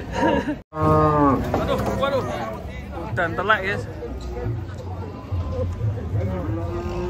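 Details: Agitated cattle, one of many, coming down from a truck: drawn-out harmonic moos near the start and again a few seconds later, with people talking and calling over the animals throughout.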